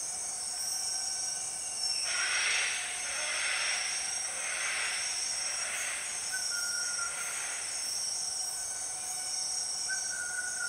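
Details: Empress cicada, dubbed one of the 6 o'clock cicadas, in the Borneo rainforest: broad rushing pulses swell and fade roughly every second over a steady shrill high-pitched insect drone from the surrounding jungle.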